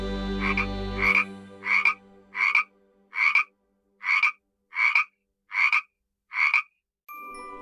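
A frog gives a series of short, raspy croaks, evenly spaced about every three-quarters of a second.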